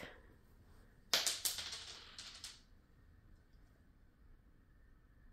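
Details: A quick cluster of sharp clicks and taps around the one-to-two-second mark breaks an otherwise quiet indoor room, with no animal sound.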